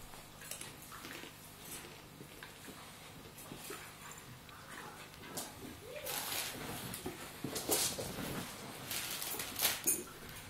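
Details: Two Staffordshire Bull Terriers, an adult and a pup, play fighting: scuffling paws and bodies with short growls and whining yelps that rise and bunch together toward the end, growing louder over the final seconds.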